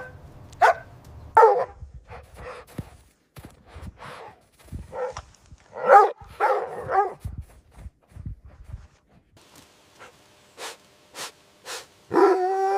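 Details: Playful puppies on fresh grass, running and play-fighting; scattered barks and softer yips in uneven bursts, then a few short clipped barks and a final drawn-out yelp.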